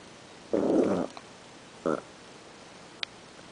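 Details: Poop-Shen, a Chihuahua, meeting another dog named Liebchen indoors: a rough, rumbling half-second growl, then a shorter second growl, and a brief click near the end.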